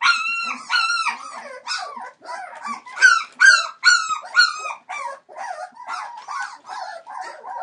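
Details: Litter of 21-day-old Entlebucher Mountain Dog puppies whining and yelping: high, harmonic, slightly falling cries repeated roughly twice a second, louder in the middle, then softer overlapping squeaks.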